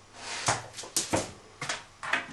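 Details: Ibizan Hound, a male dog indoors, just woken up and lacking something, getting vocal about it: four short whiny yelps spaced about half a second apart, each with a quick rising-falling tone, in a quiet small room.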